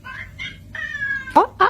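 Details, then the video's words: Domestic cat making strange, funny noises: a few short nasal meows, then a long, level, harmonic mew, and two sharp chirping squeaks at the end over faint background hum. "Cats make strange noises, funny"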